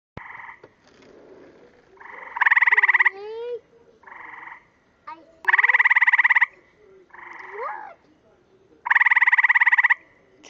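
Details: Frog calling with its throat bubble inflating: buzzy, pulsed trills about a second long, softer and louder ones alternating every two to three seconds, with rising whistled sweeps between them and a voice at the end.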